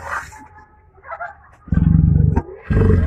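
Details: Man-eater tiger, killer of nine people, lunging at its captors from inside a cage; two loud deep pulsed roaring bursts, the first lasting under a second, the second cut short, after a quieter murmuring start.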